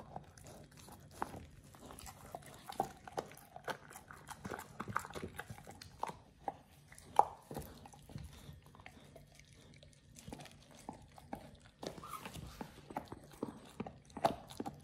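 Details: Pit Bull Oliang gnawing a raw ostrich paw, his first time, indoors; a dense, irregular run of crackling bites and crunches over about fifteen seconds, some louder snaps standing out.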